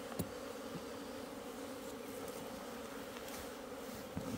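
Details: Asian honey bees buzzing in a hive opened 26 September 2023, its food comb being dug out. A constant low hum runs through, with light scraping clicks at the start and end.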